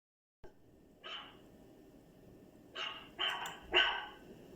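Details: A dog making unusual sounds: after a brief click, one bark, a pause, then three sharp barks close together near the end, rising in loudness, over a quiet steady background hiss.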